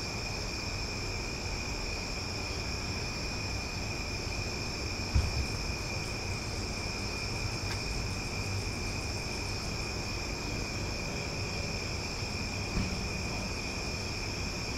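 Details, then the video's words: Omaha cicadas on a loud night, a steady shrill hum in several high layers running throughout, broken only by a couple of soft knocks, with a low murmur underneath. "Cicada Sounds for Sleep"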